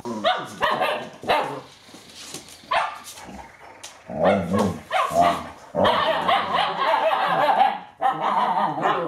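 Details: Eight-week-old Alaskan Malamute puppies playing in bad weather: sharp yips and barks in irregular bursts, several overlapping, with short pauses between flurries of play noise.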